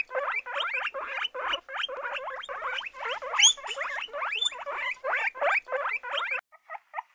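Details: Several guinea pigs giving fast repeated squeaks, each note sweeping up and down in pitch, a dense regular series that breaks into a few softer, scattered chirps at the end.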